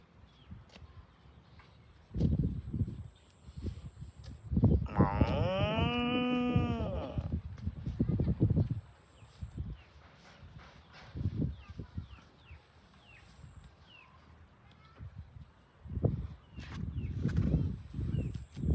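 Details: A farm cow being herded to the barn gives one long, drawn-out moo amid low thuds and shuffling.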